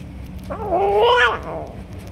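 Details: Stray cat jumping and snatching food from other strays, giving a single drawn-out meow that rises then falls, about a second long, over low background rumble.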